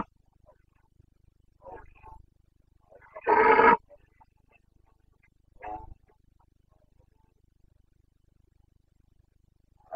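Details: Red deer stag of the Carpathians roaring in the Bucovina rut, September 2022: one loud, harsh roar midway, with fainter, distant roars before and after over a quiet, slightly hissy background.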